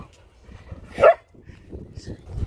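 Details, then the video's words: A single short, punchy Chihuahua bark rises abruptly out of soft indoor background noise, standing as the loudest sound before quieter rumbling and voices resume. "DA RAT BARKING FOR 14 MINUTES STRAIGHT!!"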